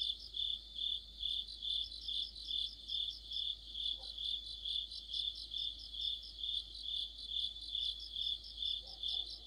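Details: Crickets in an autumn insect orchestra. Piercing high chirps come in regular bursts about every half second over a constant shrill shimmer. Faint soft lower sounds appear briefly midway and near the end.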